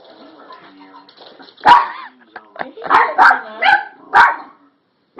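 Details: Small toy poodle barking in play. After quiet talking come five or six high, sharp barks, two of them close together, spread over about three seconds.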